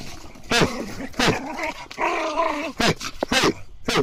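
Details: Excited Ainu dog roused by a heat-up command: short harsh barks alternate with a drawn-out tonal whining growl of wavering pitch, several bursts packed into a few seconds.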